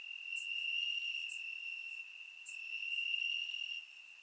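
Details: Warm summer night in Bulgaria, crickets chirping in the grass, surround-microphone recording; a sustained high-pitched trill dominates, with a few brief higher chirps from neighbouring insects.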